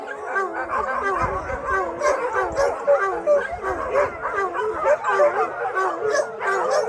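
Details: After a thunderstorm, some 600 dogs at a shelter join in a massed howl; long quavering voices overlap with yips and scattered barks in a steady, crowded wall of sound.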